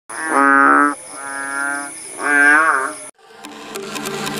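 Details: Kodok bangkong frogs calling in the countryside at Paya Bujok Tunong, Langsa, Aceh, recorded after the rain eased: three long, droning, harmonic, moo-like notes, the last one wavering, followed by a break and a different, fainter rustling sound.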